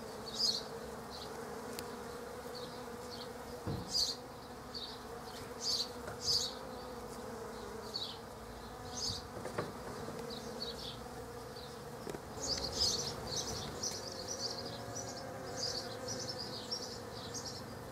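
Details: Hundreds of Western honey bees (Apis mellifera) visiting poached egg plants in a back garden hum with a steady low wing-buzz drone, with bursts of high chirping over it.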